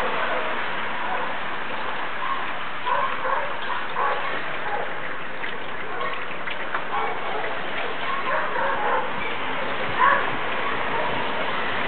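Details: Several dogs kept in a yard across the street, recorded April 9, 2011, barking and howling together after hearing a distant siren: dense overlapping barks and drawn-out howls forming a continuous chorus over a steady rough background.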